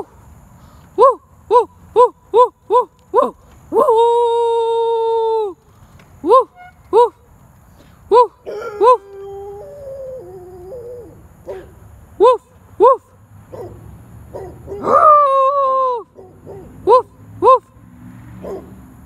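A dog gives a quick run of short, clear barks, with drawn-out howling notes in between.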